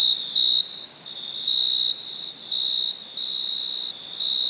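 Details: Cricket chirping at night: a sustained high, thin trill that pulses in uneven stretches of half a second to a second, louder and softer in turn, with a steady faint shimmer underneath.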